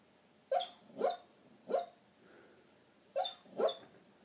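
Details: Border collie bitch dreaming badly in her sleep, letting out five muffled half-barks, two close together, then one, a pause, and another quick pair, in an otherwise silent room.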